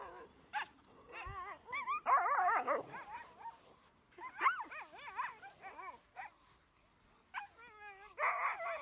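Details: Pack of Greenland Dogs in Greenland, many dogs at once: overlapping wavering whines and yelps rising and falling, with bursts of harsh barking between them and no steady rhythm.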